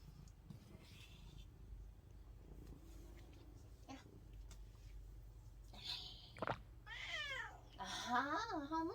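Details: Domestic cat meowing in a way that sounds like saying "안해" ("no"); after quiet rustling over a low hum, a sharp short cry, then drawn-out wavering meows that bend up and down in pitch close the recording.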